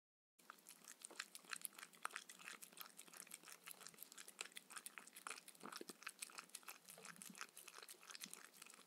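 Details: Mindy, a Shetland Sheepdog, eats her evening dinner of raw kangaroo food with coconut oil, with no talking. Dense, fast crunching and biting fill the clip, with sharp bright crackles over a steady rustle indoors in a small room.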